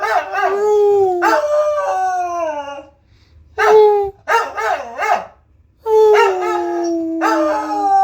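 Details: Pet corgi, recorded on a phone, howling when its owner prompts it: long, smooth, wavering tones that slide gently downward, in three separate drawn-out bouts with short silences between them.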